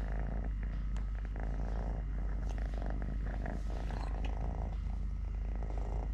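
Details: Steady rumbling purr from Totoshka, a three-legged male pet cat, recorded while eating, playing, walking and fighting with a hand; the deep vibrating purr runs continuously, with a sharp tap near the start and faint rustles.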